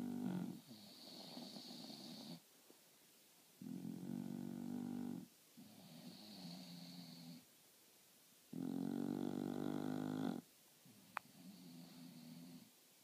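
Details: Napping bulldogs Marley and Lola snore loudly between meals: a steady run of heavy, buzzing inhalation snores every two to three seconds, some topped by a faint high whistle, with softer wheezy exhalations between them.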